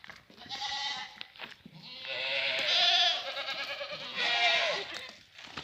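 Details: French Alpine goats at a farm offered for sale in Guercif, Morocco: a short bleat, then a long, loud, wavering nasal bleat, then another strong bleat near the end, with faint shuffling between calls.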